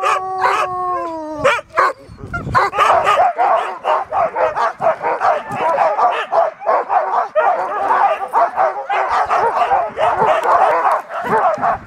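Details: Huskies pulling a dog sled on a day-long 30 km tour in Riisitunturi, Finland, March 2013: one steady howl opening, then a rapid, overlapping pack chorus of sharp barks and yelps.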